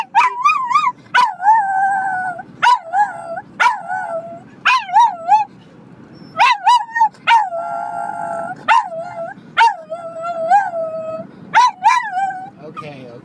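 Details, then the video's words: Dog reacting to a car horn with a steady run of wavering, tonal howls. They are repeated every second or so and mixed with abrupt barks and yips throughout. "Howling at a Car horn"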